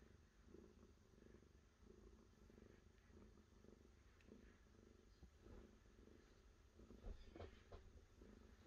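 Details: Domestic cat purring steadily, a low rumbling pulse that rises and falls with each breath, with a few soft clicks and rustles toward the end.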